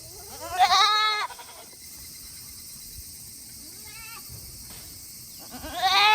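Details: Tokara goats kept on a farm in Himi, Japan, on a hot day, 8 August 2021, keen to go back to their shed; two loud vibrating bleats at start and end, with a quieter wavering bleat between.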